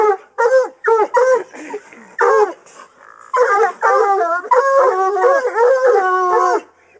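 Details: During training for raccoon hunting, Coonhounds voice at a caged raccoon: short clipped bays at first, then a long run of wavering, overlapping howls held for several seconds.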